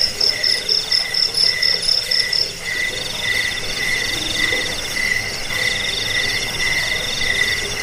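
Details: Crickets (jangkrik) in a recording offered to repel rats, lull listeners to sleep and train songbirds: layered pulsed chirping, a high rapid trill fading out after two seconds over a steadier lower chirp train repeating about twice a second.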